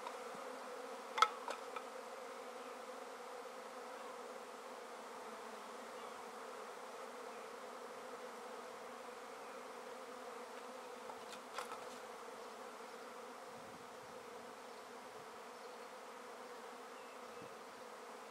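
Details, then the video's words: Swarm of honey bees shaken from a tree into a swarm basket, steady low hum of many wings holding level throughout, broken by two sharp clicks or knocks near the start and middle. "How to Catch a Swarm of Bees"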